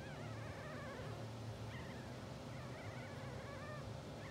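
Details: Sleeping two-hour-old English Bulldog puppies, blue sable litter, dreaming and twitching; a run of wavering, trilled high whines carries on almost without pause across the stretch, backed by a steady low hum.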